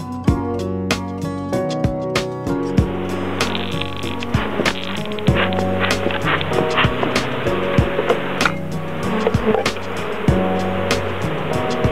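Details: Rhythmic music with sharp percussive hits and sustained tones plays throughout, with no animal sound audible.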